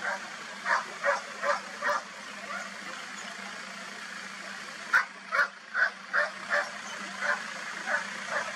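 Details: Roe deer (Capreolus capreolus) gives short, harsh, dog-like barks in quick bursts over a low engine drone; recorded 4 October 2024 at Soto de Viñuelas.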